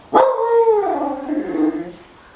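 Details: Sapphire, a female husky, asking for food: one drawn-out vocal howl lasting about two seconds, starting with a sharp onset, holding steady, then sliding downward and fading, with a woman's voice speaking to her just before and after.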